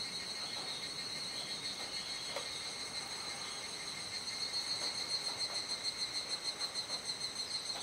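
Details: Cicada chorus at twilight in Kuji, Iwate, Japan, 17 July 2017, around 19:11–19:25: a high steady drone for the first half, then a nearer caller adds rhythmic rapid pulses, roughly three per second.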